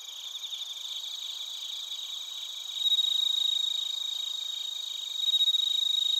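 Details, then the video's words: Bell crickets and other crickets in Narita, Chiba Prefecture, Japan, recorded on a TASCAM Portacapture X8: a dense, high pulsing trill layered with steady ringing tones, and a clear bell-like note swelling louder midway. "スズムシとコオロギの鳴き声 - Chirping of crickets"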